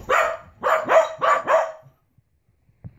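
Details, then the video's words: Pembroke Welsh Corgi indoors, howling after a leaf struck the window, still learning to howl; four rapid harsh yelping howls in under two seconds, each bending downward, followed by faint soft noises. "corgi yelling"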